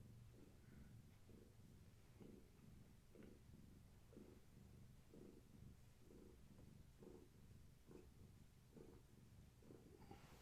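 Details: Domestic cat purring indoors in the evening among Gaia's kittens, a long-haired tabby's litter, during play and leg massages; a soft, low rumbling purr pulsing in steady breaths about once a second, with faint room noise.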